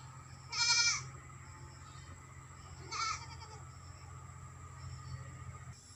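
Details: A goat at a West Bengal farm in India bleats once, loud and tremulous, then gives a shorter, quieter bleat about two seconds later, over a steady low hum.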